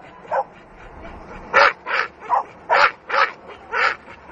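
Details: Dogue de Bordeaux in attack, a single bark followed after a pause by a quick series of six loud harsh barks spaced about half a second apart.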